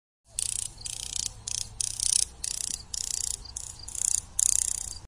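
A grasshopper gives dry, hissing rasps in quick bursts, each about a third of a second long.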